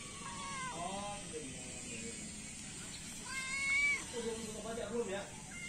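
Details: Morning feeding of three feral cats and one kitten, with several overlapping meows: a drawn-out descending cry first, then a louder strained meow and shorter mews, against a constant hiss and some voices.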